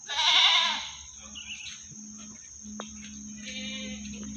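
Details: At the animal market in Singosari, Malang, a meat goat for sale lets out a loud, quavering bleat at the start. Quieter market background, a sharp click and a faint second bleat follow.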